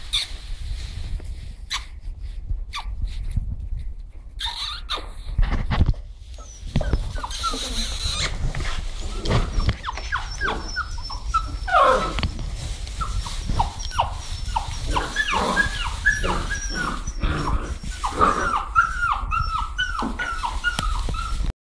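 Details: Puppies playing in straw give high, thin whines and short yelps, often overlapping in quick bursts that rise and fall, growing busier in the second half, over steady rustling and crunching of straw.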